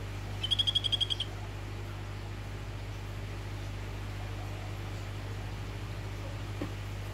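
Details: Phyllobates vittatus, orange morph, calling to a female: a brief burst of about eight rapid, high, buzzy pulses, then quiet over a continuous low background hum.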